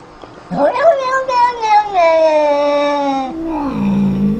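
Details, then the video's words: Domestic cat making a funny sound: one long drawn-out wavering meow of about three seconds that falls slowly in pitch, then a lower, shorter moaning tail, heard indoors. "Cats making funny sounds"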